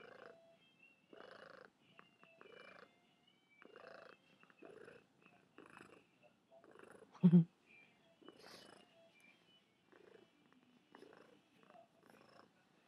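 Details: Pet cat Mimi, described as lazy and fat, purring up close: soft rhythmic pulsing in short bursts that repeat roughly every second, with one brief louder thump near the middle and light sounds of the room between breaths.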